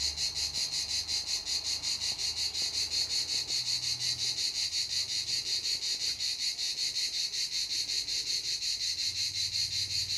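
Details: Cicadas give a loud, high, rasping buzz that pulses rapidly and steadily without pause at Canet-en-Roussillon, France.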